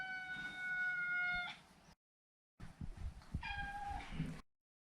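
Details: A neutered male Maine Coon, Maro, meows twice: a long, flat, strongly harmonic call ending abruptly, then a shorter meow after a pause, with low thumps and rustles underneath.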